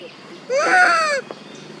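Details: Mother monkeys Duchess and Queen call and cry for baby Quinton: a loud, rich, harmonic wail that arches up then slides down, lasting under a second against a quiet background.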